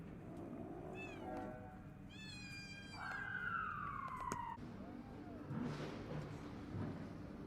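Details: Rescued abandoned kitten, found after two days in -11°C snow, now in a fenced stray-cat area, afraid of the other cats: several short harmonic meows, then a longer falling meow, over low background rumble.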